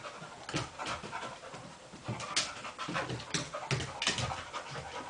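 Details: Two dogs playfully wrestling: rapid breathy panting in bursts, with huffs and snuffles roughly every half second, and scuffling movement noise.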